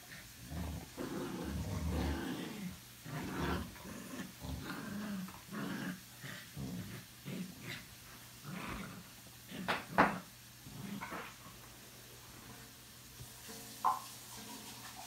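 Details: Boxer named $amson and Chorkie named BELLA, a rescued dog, playing rough indoors at home; low rumbling growls in uneven bursts, about sixteen a minute, with sharp yips and scuffling near the end and a faint voice.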